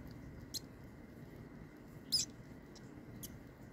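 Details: Mouse fed live to a king snake, one of seven mice, gives a few brief high squeaks, one louder chirp in the middle between two fainter ones, against a constant low hum.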